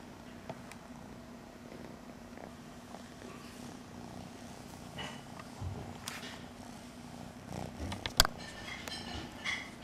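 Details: Kitten close to the microphone purring in a low, steady rumble, with handling rustles and a sharp click near the end.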